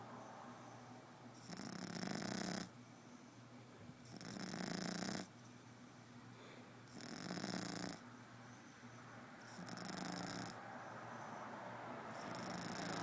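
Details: French bulldog snoring indoors after eating a full meal: broad, raspy, breathy snores come in swelling bursts roughly every two and a half to three seconds, with quiet breathing between them.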